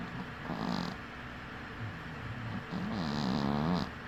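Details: Winky, a dwarf cat, snoring while asleep with one eye open; two drawn-out, rough breathing snores with a low buzzing hum, the first brief and hissy, the second longer and wavering, over a steady quiet background hiss.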